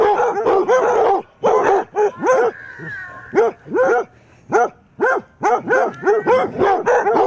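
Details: Basset hounds defending against a mechanical Halloween cat give arched, baying barks roughly every half second, with a short pause and a faint steady tone around the middle.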